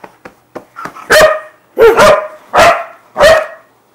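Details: Siberian Husky charging around on a bed during zoomies; a few faint clicks and thumps lead into four loud, ringing barks spaced about two-thirds of a second apart, some doubled.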